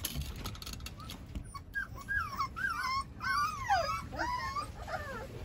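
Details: Several of eleven Rottweiler puppies, being dewormed and hungry, whimpering and begging for food: a run of high, wavering whines that rise and fall, overlapping from many pups, about two a second, with a woman talking nearby.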